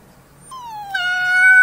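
A young wolf gives a thin, high howl that slides downward, then jumps up and holds a steady note.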